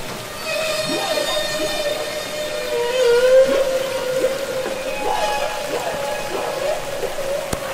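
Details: Real humpback whale song recorded underwater, from Capitol Records ST-620: a sustained, bright, harmonic-rich tone held for several seconds, broken by quick descending chirps and sweeps at intervals over soft underwater hiss.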